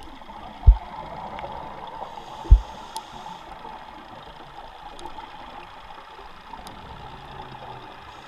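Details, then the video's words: Giant 8-foot goliath grouper barking underwater at the Zeuss tugboat wreck: two deep, abrupt low thumps about two seconds apart, with faint clicks and a steady underwater hiss. "Barking Goliath Grouper"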